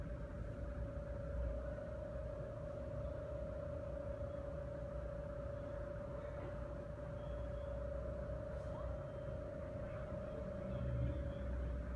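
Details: A steady low engine rumble fills the recording, with a constant mid-pitched hum running throughout and faint scattered noises; no animal voice is heard.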